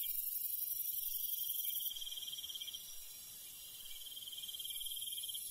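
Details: Rural night insects with crickets, a bright pulsed trill ending after about two seconds, a pause, then another trill starting, all over a thick, sustained high insect drone.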